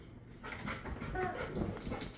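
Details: Koko, a husky, during a game of tug of war indoors, gives a short, high whimpering whine lasting about a second amid soft rustling and room noise; a man's voice is heard just before.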